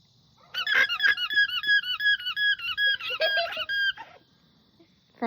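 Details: An alpaca gives a shrill, siren-like alarm call of rapid, wavering squeals to alert the herd, while injections are being given.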